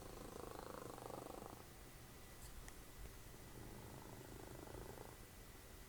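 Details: Domestic cat, a mother cat, cuddling while the TV is on, making a soft rumbling snore-purr in low, steady pulses through two long breaths, with faint TV sound in the background.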